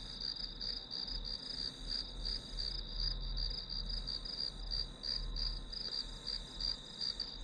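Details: Shrill, evenly pulsing chirps of grass insects, nearly three beats each second over a sustained high whine, with a slightly stronger low background rumble.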